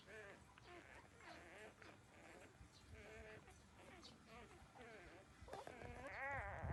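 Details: Newborn puppies, 13 days old, breastfeeding from their mother; soft wavering whines come in a steady stream, growing louder with a rising-falling squeal near the end.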